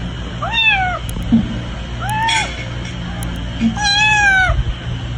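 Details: Domestic cat from a funny-cats compilation giving three short meows about a second apart, each arching up and then falling away, over a steady low background hum.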